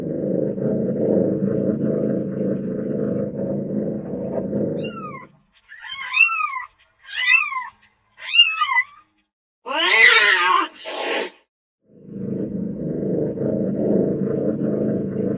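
Low, continuous purring opens and closes the passage, a soft rumbling drone. In between, a domestic cat utters a few brief, bending meows, then a rough, breathy hiss or spit.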